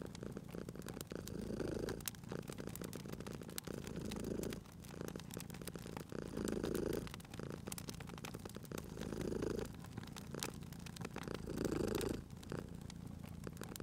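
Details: Cat purring while asleep near a crackling fireplace, cozy spring ambience; steady low rumble rises into four rhythmic swells roughly every two and a half seconds, with frequent crackles and snaps from the fire throughout.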